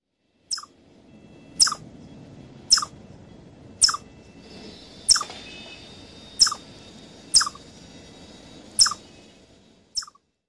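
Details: Chipmunk of North America giving crisp, high chips, one roughly every second, nine in a row, each a sharp click-like note over faint background hiss.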